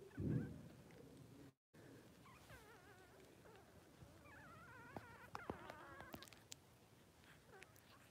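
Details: Four-day-old Blenheim Cavalier King Charles Spaniel puppies, Remy's first litter of six, in a puppy pen at Red Barn Cavaliers; soft wavering whines rise and fall in short bursts, with faint rustling and a brief thump at the start.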